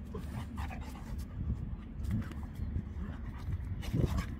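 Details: Senior Labrador Retriever named Beertje roughhousing during play, heavy rumbling breaths and throaty huffs rolling on without pause, with occasional sharper bursts of breathy panting as the play intensifies.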